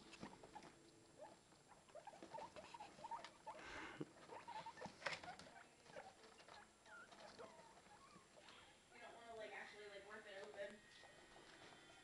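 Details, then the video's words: Newborn guinea pigs following their mother indoors: a busy mix of soft squeaks, short sweeping peeps and chirrups, with a few longer wavering tonal calls later, over rustling and faint voices. "popcorning guinea pig babies"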